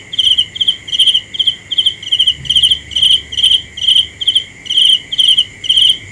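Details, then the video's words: Cricket chirping steadily: short, high, pulsed chirps repeated roughly twice a second, each a quick buzzy burst, over a constant thin high-pitched whine in the background. "The best sounds of Cricket 《 Suab Kab Ciliv Quaj Zoo Heev》 ( ສຽງແມງຈີ່ນາຍຮ້ອງດີໆ )"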